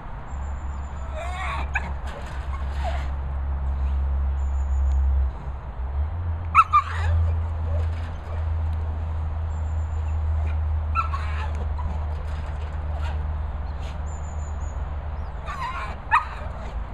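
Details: Staffordshire Bull Terrier named Dray in an 8ft isolation run at a boarding kennels in the Worcestershire countryside, giving short sharp barks in bursts at irregular intervals over a steady low hum.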